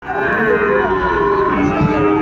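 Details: Sahiwal bull calves, about five to six months old, at the Ambari cattle market in Dinajpur, Bangladesh, on Monday 23 February 2026 as trading begins; a drawn-out, steady, harmonic lowing carries over constant crowd chatter.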